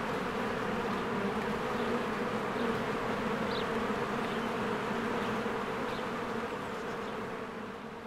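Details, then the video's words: Honeybees flying in and out of their hive in spring as flowers bloom: a dense, continuous buzzing hum with steady low droning bands and a busy overlapping whir of many wings, faint chirps above, level throughout. "1 Hour of a Beehive ASMR"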